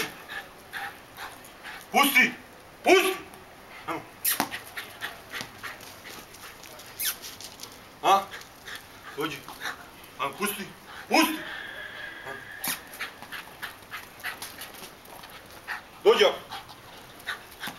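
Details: Lola, a German Hunting Terrier, gives sharp, short yelps and whines scattered over the stretch while being called and told to sit and fetch her ball in Serbian. Frequent human voice and handling noises.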